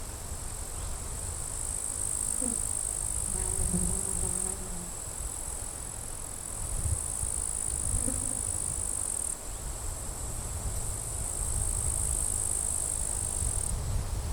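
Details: Grasshoppers at a sunny forest edge in late July with strong wind; high, hissing buzzes come in long bursts of several seconds separated by short pauses, over rumbling wind and faint distant tonal bird whistles.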